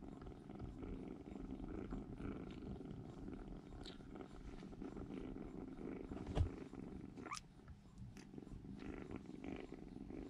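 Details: Baby rescue kittens, three in all, cuddle in a room corner sharing warmth before starting to explore; soft ongoing purr, broken midway by a brief rising squeak and a few light knocks.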